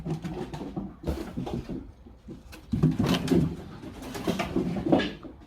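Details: Three-month-old puppies playing energetically indoors, rough low growls rumbling in irregular bursts and overlapping, with scuffling and rustling between them.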